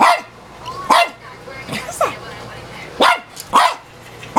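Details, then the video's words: An elderly female dog, about 15 years old, barks at herself in a mirror, giving sharp, broadband barks in uneven bursts with a person's voice faint in the background. "Dog Barks at self in mirror"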